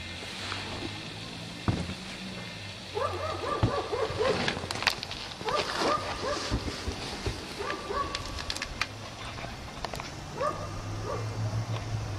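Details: A chained dog left outside all day in cold snow barks repeatedly: short harsh barks in clustered bursts, about five groups spread across twelve seconds, over a steady low hum and faint background noise.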